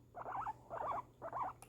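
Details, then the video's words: Guinea pig reacting to fireworks: three warbling, squeaky calls of about half a second each, given in quick succession with short gaps, and a faint click at the end. "guinea pig reaction to fireworks"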